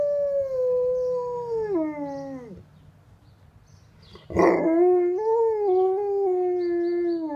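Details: An Alaskan Malamute sings a siren-like howl that echoes through the neighbourhood: a long, mellow note sinking in pitch, a pause and sharp catch of breath, then a second howl rising slightly and holding on a lower, sustained note.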